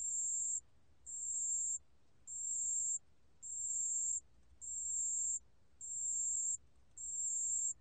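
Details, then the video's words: Repeated tinkling trills of a pale bell cricket, archived by the National Institute of Biological Resources in 2020; seven even, high, clear bursts of roughly half a second to a second each, evenly spaced, in near silence. "담색방울벌레, 1번 듣기, 곤충소리"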